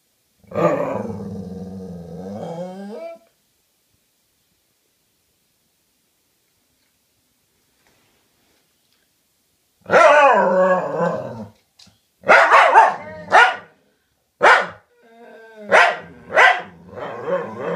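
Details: Two pet dogs talking to each other with low growling grumbles, then after a long silence a lively run of short barks, yips and whining vocalizations trading back and forth in bursts.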